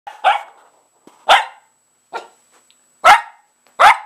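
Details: A dog barking while playing with a pair of old shoes: five short, sharp barks spaced about a second apart, the second and fourth loudest, with silence between them.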